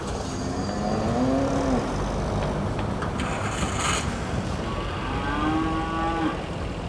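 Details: Cattle at the Prambanan cattle market, two drawn-out harmonic moos, the first around one to two seconds and another near the end, over steady crowd murmur and market background noise.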